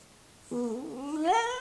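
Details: Jack Russell Terrier singing a request to get onto its owner's lap: a single drawn-out tonal whine that wavers, then climbs steeply in pitch toward the end, indoors.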